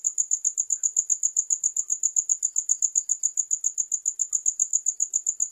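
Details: A cricket keeps up a shrill, tightly pulsed chirp, each beat sharp and evenly spaced at a fast, regular pace, against an otherwise silent background.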